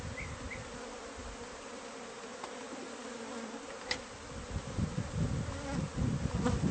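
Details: Wall-dwelling bee colony in a newly purchased house, being taken out; a steady drone of buzzing wings, a faint chirp at the start, a sharp click, then growing low rumbling disturbance.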